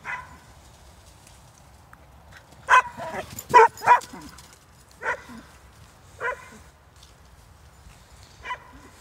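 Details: Two Hungarian Vizslas running in Stewart Park, Middlesbrough, giving loud, sharp barks: a quick cluster of three, then single barks about every one to two seconds, with faint outdoor background noise between them.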